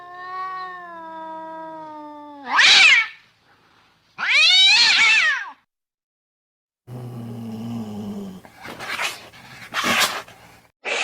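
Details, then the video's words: Cat sounds intended to lure cats out of vehicles and tight places: a long, level, low wailing meow, two loud harsh yowls, then a low rumbling growl broken by noisy, scratchy bursts. "أصوات قطط تساعد على استخراج القطط من داخل السيارات و الأماكن الضيقه"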